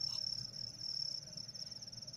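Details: Captive cricket being trained to sing quickly, coaxed with a hair. It gives a steady, very high, shrill trill with a fast pulsing texture that runs the whole time, with a faint low hum behind it.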